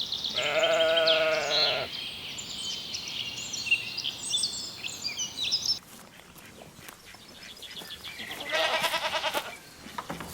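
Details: Young lambs grazing in a green forest: a long, tremulous bleat opens, followed by high bird twittering and rustling, then a second, shorter shaky bleat near the end.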